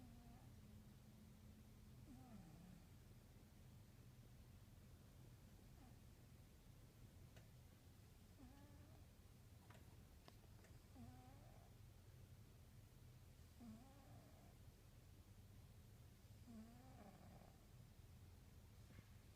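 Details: Old diabetic orange female cat, about 15 to 16 years old, sound asleep and snoring indoors; faint, soft murmuring snores with a slight wavering tone, recurring about every three seconds over a low steady hum.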